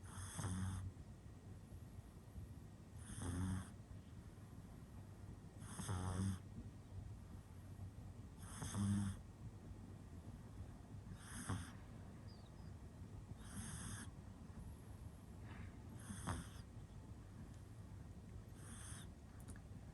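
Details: Male pug puppy born in 2021, asleep and snoring: eight soft, rough, low breaths about every two and a half seconds, each a short broadband rasp with a faint steady hum beneath and quiet room stillness between.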